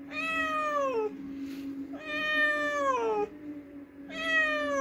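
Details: Loud, insistent meowing from a cat that has just hunted a mouse: three long wailing meows in quick succession, each ending in a downward slide, over a steady low hum.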